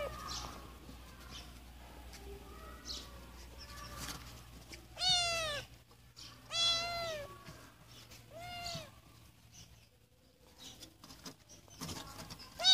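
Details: A Siamese cat gives several loud, drawn-out meows, each rising then falling in pitch.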